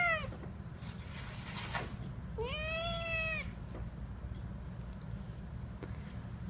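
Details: A mother cat caring for her newborn kittens lets out one drawn-out meow that rises and holds steady before dropping, preceded by a brief clipped cry, over a low background hum.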